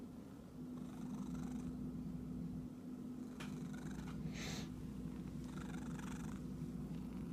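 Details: An itchy domestic cat purrs in a continuous low, pulsing rumble for the whole stretch, with short scratchy rustling bursts near the middle and a faint steady hum underneath.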